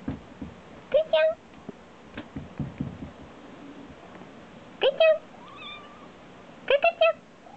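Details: Black domestic cat meowing indoors in response to its owner's deliberate cough, three short rising meows spaced a few seconds apart, with quiet background speech and faint coughing.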